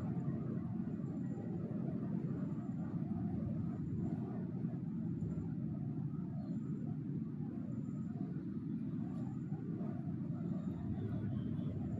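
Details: Steady low outdoor rumble of passing vehicles, with no animal voice present throughout.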